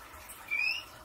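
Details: Pippi, a skinny pig guinea pig, while getting her nails clipped: one short, thin whistled squeak rising slightly in pitch, lasting about a third of a second, in a quiet indoor room.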